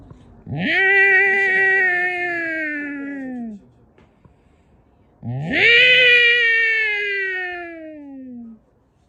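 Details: Orange domestic cats fighting, trading long drawn-out yowls: two wailing calls of about three seconds each, rising sharply at the start then slowly sliding down, separated by a short pause.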